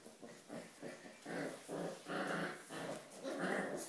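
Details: Corgi playing with a sponge on the Volga, making a run of rough, throaty growling bursts, about two per second and rising in loudness. Faint voices sit behind it.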